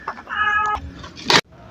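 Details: Newly adopted kitten, likely to scratch or bite if startled when handled, gives a single drawn-out harmonic meow of about half a second, then a sharp noisy handling thump; people talk nearby.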